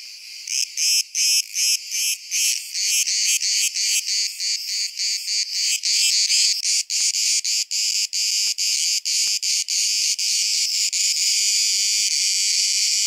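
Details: Camouflaged cicada near Lissos in south-west Crete, with many more cicadas singing in the background: loud, high buzzing pulsed in rapid regular bursts, merging into a continuous shrill drone.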